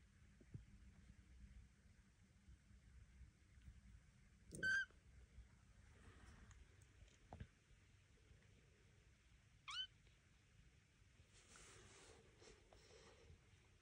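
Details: Devon Rex kittens indoors, taking their first walk in a room under watch of mother Elma and an aunt; two short, high-pitched mews a few seconds apart, with soft shuffling and room noise between.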